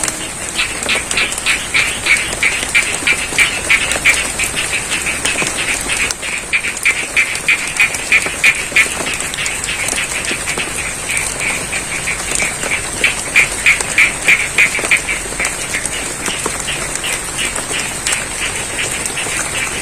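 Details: Long stretch of frog chorus from a rice field in Pacitan, East Java, recorded in rain: regular rapid croaks about three a second, swelling in bursts, with heavy rain hiss and a steady high-pitched background tone.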